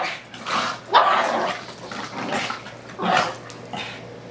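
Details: Two young pet dogs boxing in rough play, a pug/pitbull/ridgeback and a male pug/beagle mix, five months old; short harsh barks and growly bursts come in clusters with brief pauses between rounds.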